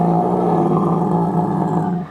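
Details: A California sea lion at SeaWorld San Antonio, Texas, gives a loud, low, steady, hoarse roar that holds for about two seconds, a lion-like vocalization that lets mother and pup identify each other.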